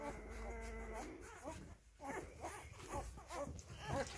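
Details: Five-day-old Rhodesian Ridgeback puppies: a low steady hum opens the first second, then short squeaky whimpers and soft yelps follow in quick uneven bursts over a dull rumbling background.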